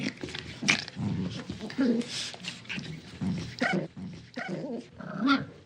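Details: A small dog growls during tug of war play, throaty snarling bursts about every half second to a second, with a few whiny rising tones and scuffling between them.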